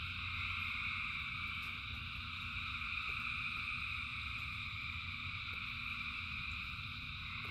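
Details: In the rain, a multitude of frogs sings in one unbroken chorus of high layered trills, with occasional soft clicks and a deep steady rumble below.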